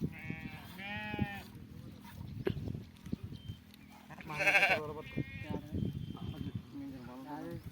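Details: Sheep being milked give several wavering bleats, one early and a louder quavering one midway, with a man talking and clattering handling sounds throughout.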